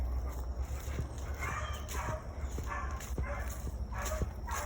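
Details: Penny, a seven-year-old female beagle running solo, gives repeated ringing barks while trailing a cottontail rabbit in North Carolina in the offseason, the rabbit circling in a block of woods, with a man talking over a low rumble.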